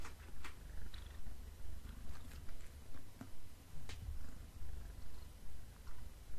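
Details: Black pet cat eating beef snacks, giving a steady low purr that swells and fades about twice a second, with sharp scattered clicks and crunches from chewing over it.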